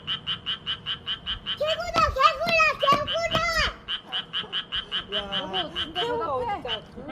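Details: Frogs greeting visitors with song: a steady train of short, bright croaks repeating about two and a half times per second throughout, overlapped midway by excited human voices with rising and falling exclamations.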